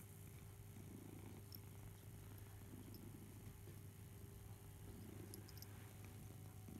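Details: Barnaby, a house cat, purrs while suckling on his beloved teddy bear Boo indoors; a soft, steady low rumble runs throughout with no clear pauses, plus faint high ticks.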